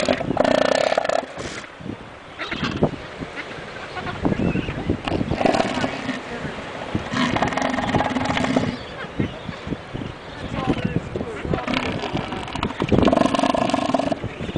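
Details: Male elephant seal at Hannah Point, Antarctica, very vocal, giving a long burp-like belch: rapid throbbing pulses in drawn-out bursts with short pauses between them.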